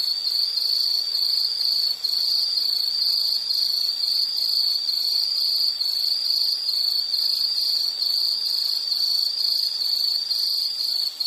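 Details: Insect in a nature sound recording producing a long, high, steady ringing trill with a gently pulsing texture that keeps going evenly from start to finish, over quiet background hiss.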